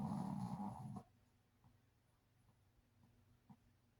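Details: Gigi, a female Shih Tzu, snoring like a human while asleep indoors: one loud, rough, low rasping snore lasting about a second, then near silence with a few faint soft breaths.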